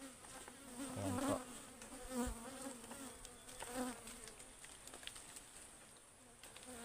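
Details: Wild ligwan honeybees around a hive being harvested in a forest beside a stream; a steady, wavering low buzz with harmonics swells and fades in several surges, with faint forest hiss throughout.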